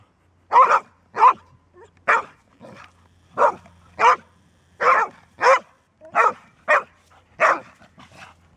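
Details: Golden Retriever female that barks only when it must: a steady run of about twelve sharp, punchy barks, some paired, with quieter short woofs between and a low background hum.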